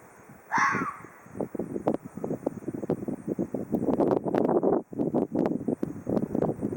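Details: Ezo red fox letting out one hoarse, descending rasp early on, followed by steady crunching and rustling sounds like footsteps through leaves or snow.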